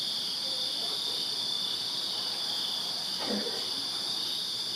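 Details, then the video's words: Backyard crickets in Virginia on a summer night keep up a steady, shrill, unbroken trill, while a brief lower sweeping sound dips downward near the end beneath the insect chorus. "Crickets Chirping Summer Night in Virginia"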